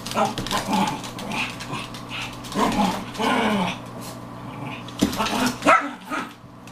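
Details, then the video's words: Four female Pekingese dogs, one a Maltese-Pekingese mix, playing hard and loud indoors; overlapping short yips, growly barks and whimpering squeals in irregular bursts, with scuffling between calls. "4 Pekes Playing"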